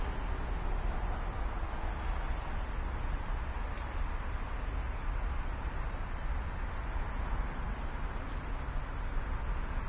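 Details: Loud grasshopper in a roadside bush at the edge of Tallinn, late at night, captured on a phone: a continuous, very high, hissing buzz that never pauses, laid over a deep, steady low rumble of distant city noise.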